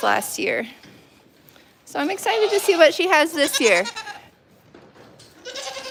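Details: Goat on The Willful Goat Farm & Home, heard live. One short bleat opens the clip. After a quiet gap comes a run of tremulous, shaky bleats that rise and fall. Soft talk continues afterward.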